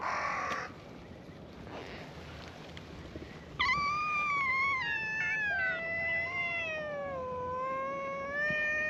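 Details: Stray cats at a gathering on a cat island, greeting a visitor with a chorus of cute meows; a long drawn-out wavering meow falling then rising slightly, after a brief earlier cry, over outdoor background noise.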